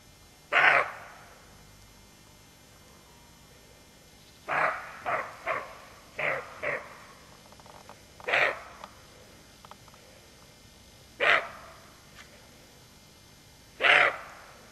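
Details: Roe deer doe, watchful with her fawn, gives loud hoarse barks at irregular intervals, broken by a quick run of five shorter, softer barks in the middle.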